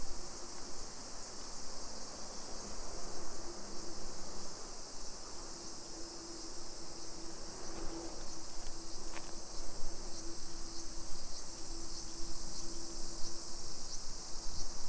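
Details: Cicada chorus over a hillside suburb of Nagoya in Nisshin, Japan, at midday on 28 July 2021: a dense, even, piercing buzz, punctuated by scattered sharp ticks and clicks, over a low hum.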